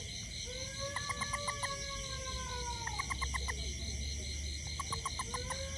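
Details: Toad after rain near a home, hunting ants: short clear notes in quick bursts of four to six, repeated every second or two, over a steady high insect chorus and faint drawn-out tones.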